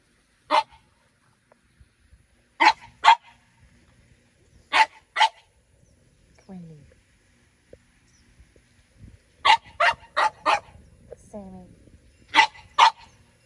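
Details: Playful barking from French Bulldogs in a home garden under a grape pergola, one-year-old Minnie Rose wanting to play with ten-year-old Sami; sharp barks in pairs and short bursts, with a brief whine between and a voice speaking.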